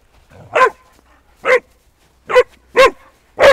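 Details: Eight-month-old Shar Pei playing in the snow, giving five short, sharp barks spaced roughly a second apart, each a brief harmonic burst; a quiet voice precedes the first bark.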